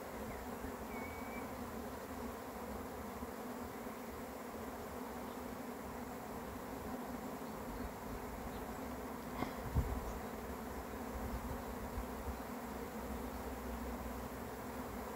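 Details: Swarm of honey bees arriving: a dense, continuous droning hum that holds steady throughout, with a low rumble beneath and a brief knock near the middle.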